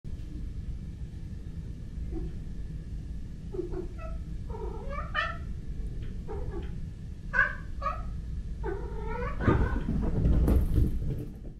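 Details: Male British Shorthair kitten and black-and-white male cat during zoomies; a series of short chirping meows and trills repeated in quick bursts over a steady low hum, with a louder scuffle near the end.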